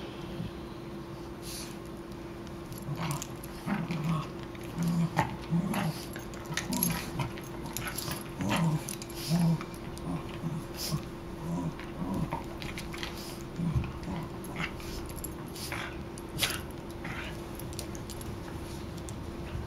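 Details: Riley and Buddy, two dogs at play, trade low growls and huffing grunts in quick, irregular bursts throughout, with sharp clicks and scuffling noises between them.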